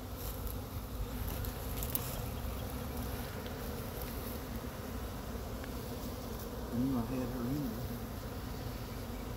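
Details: Honey bee swarm in Chattanooga being brushed off a pine tree into a box with frames; constant low humming drone with a brief louder wavering whine near the end.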